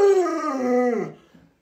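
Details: Alaskan Malamute Luoluo, indoors beside its bedridden owner, gives a short wavering howl that bends upward slightly then drops away within about a second, followed by a soft low murmur.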